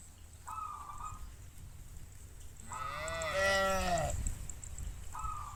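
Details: A cow in a group foraging across fields gives a long harmonic moo that slides downward, calling a companion to come home to the farm.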